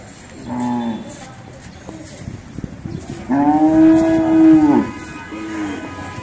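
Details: Large cattle gathered for Qurbani in 2022: a short low moo, a pause, then a long loud drawn-out moo ending in a falling slide, and a brief third moo, over quiet background noise.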